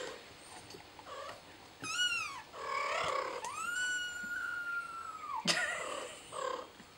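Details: Mother cat attending to her baby; a series of meows, including a short arched call followed by a long, level, drawn-out meow that drops at the end, then a sharp brief cry and soft mews.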